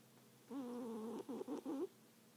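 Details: Snore from a sleeping cat, a wavering, tonal, nasal breath that breaks into three short, choppy pulses at the end, in a quiet room.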